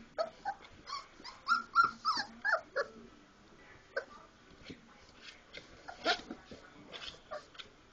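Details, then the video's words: Four-week-old Labrador Retriever pups romping after feeding, opening with a lively string of squeaky squeals and yips, then quieter scattered whines, clicks and rustling of play. "four week old lab puppies playing after eating"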